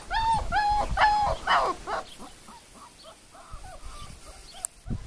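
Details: Whining four-week-old puppies, Le Domaine des Pertins: a few loud, drawn-out arching whimpers open the recording, then quieter, shorter squeaks follow, with a clack and a dull thump at the end.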